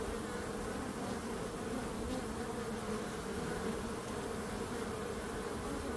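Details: Even, unchanging drone of many bees, a low steady buzz filling the whole stretch with no breaks or other clear sounds.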